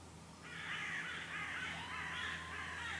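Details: Red squirrel making noise after escaping a goshawk attack, Lake Kallavesi, Kuopio, Finland, 23 August 2015. A continuous harsh, rasping chatter starts abruptly and runs steadily for about two and a half seconds.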